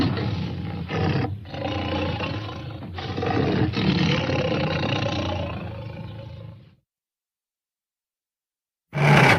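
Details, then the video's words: Tiger letting out deep rasping roars in several swells lasting about seven seconds, then silence, and a short loud burst right at the end. "Tiger Sounds"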